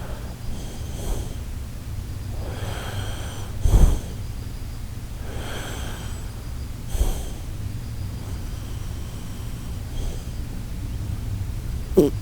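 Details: Sleeping Shiba Inu Koharu snoring: short nasal snorts recur every few seconds between hushed, airy breaths, with the room otherwise silent.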